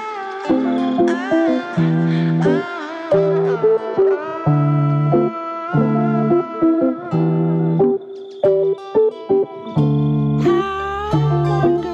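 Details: Plucked electric guitar plays a melody over chords in short phrases, with no animal calls.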